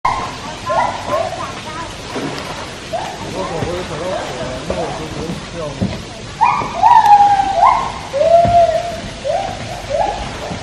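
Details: White-handed gibbons singing in their enclosure at Taipei Zoo: a run of short hooting notes, then louder quavering, wavering phrases that bend up and down, repeated about every second over a low murmur of background noise.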